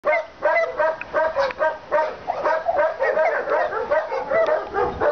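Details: Senior Labrador Retriever at an animal shelter, barking in quick repeated bursts, several short sharp barks a second with brief pauses, continuing throughout.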